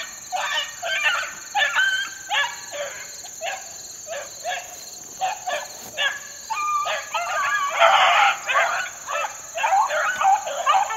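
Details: Young Beagle pups about four months old, out in the wild in 2013, giving a fast run of short, harmonic yelping bays, several per second and overlapping, over a steady high-pitched insect-like drone.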